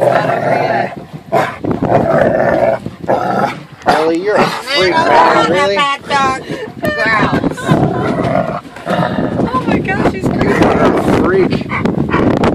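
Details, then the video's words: Harley the dog throws a temper tantrum on a boat when it is time to leave the water and go home, giving wavering, rising and falling whines and yowls amid overlapping human talk. "Harley's temper tantrum"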